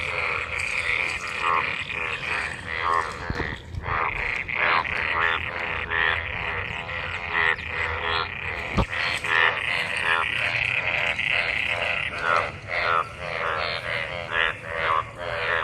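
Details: Large gathering of frogs croaking in rainwater pools after monsoon rain during mating; continuous overlapping pulsed croaks from many callers, fast and uneven, with a couple of sharp clicks.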